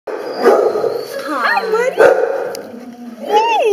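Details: A bloodhound in his run, looking at strangers, gives deep, gruff barks mixed with rising and falling whining yelps.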